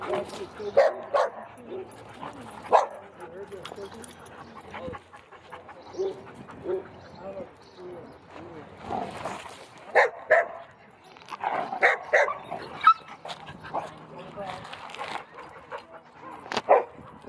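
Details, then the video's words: Doberman at a busy dog park, trying to act dominant among other dogs: sharp barks and yips burst out irregularly, some in quick clusters, over steady human chatter and praise. "Doberman Tries To Be Dominant (Can You Spot It?) & Dog Park Gets Loud"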